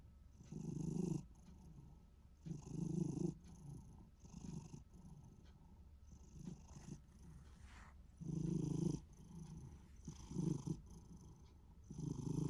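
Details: Contented Minuet cat, possibly snoring, possibly purring: deep buzzy rumbles come in uneven bursts, some long and strong, others short and faint, separated by soft breath noise over about twelve seconds.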